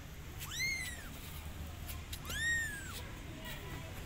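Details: Kitten meowing to call its mother cat, which soon comes to help. Two drawn-out, high, arching meows about two seconds apart, with faint clicks and a low rumble behind.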